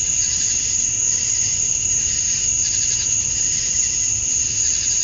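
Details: Summer-dusk insect chorus of male cicadas calling for females in Georgia, USA, an even shrill drone with soft rhythmic throbbing in the upper band and no other clear sounds.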